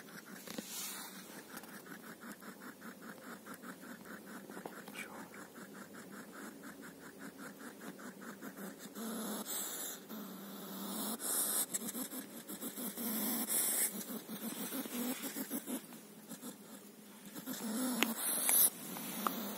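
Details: A hedgehog running through grass at night after being prodded with twigs, huffing and puffing in rapid soft repeated puffs, with rustling of grass, crickets and distant insect hum.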